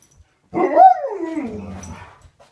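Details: A pet Alaskan Malamute, not allowed upstairs, comes up in the morning to say good morning with a drawn-out, talking woo that rises briefly, then slides steadily down in pitch.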